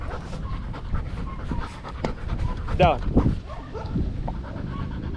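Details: Danny, a Belgian Malinois in Cebu, Philippines, pants during a game of fetch: rapid breathy in-out puffs, with human voices talking over them and a brief higher whine-like sound midway.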